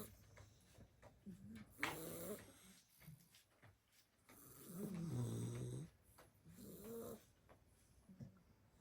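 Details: Seven-week-old blue Staffy puppies sleeping off a Christmas party: bursts of deep, buzzing snores, one long rattling snore in the middle, with thin squeaky whistles riding on some breaths and quiet pauses between.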